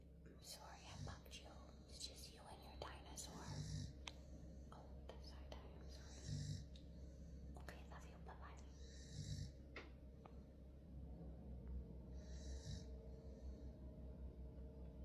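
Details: A sleeping female dog snores in soft, breathy rasps, one roughly every three seconds.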